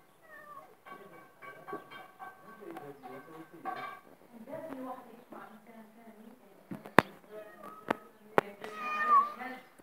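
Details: Pet cat giving soft, drawn-out meows, a couple of them sliding upward at the start and end, mixed with people talking close by, several sharp taps and light music underneath.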